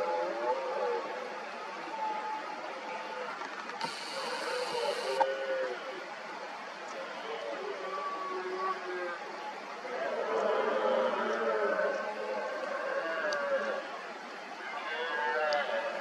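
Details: Red deer stags in the rut, many rival males roaring repeatedly around an injured dominant stag and his hinds; overlapping drawn-out harmonic groans rise and fall throughout, with a brief hiss near four seconds.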